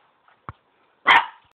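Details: Boston Terrier at play giving a single short, loud, rasping bark after a faint click and a brief quiet yip, then silence.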